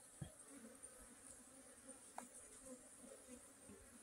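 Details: Honey bee humming in a steady low drone with a clear overtone above it. A few soft clicks and taps break through, and a faint high hiss runs throughout.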